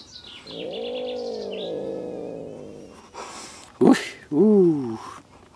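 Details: Female Siamese cat with a grouchy temperament giving a long, low, droning grumble that bends downward over two seconds, followed by short sharp yowls; a woman's soft French voice precedes it.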